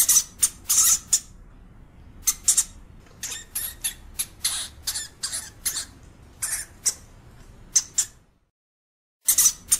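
A European hamster gives harsh, high-pitched squeaks in quick, irregular bursts.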